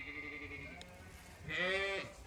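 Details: Zwartbles ewe on a regenerative farm in County Kilkenny, Ireland, calling loudly in the woods because she wanted to move on to fresh pasture. Faint wavering tones come first, then one loud, harmonic, quavering bleat of about half a second.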